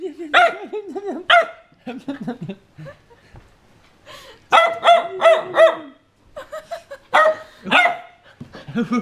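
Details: Siberian Husky named Varg guarding his bone and warning someone to stay away. Loud, harmonic yowling barks and wavering whines come in bursts with short pauses, some rising and falling in pitch, forming an irregular, talkative string of protests.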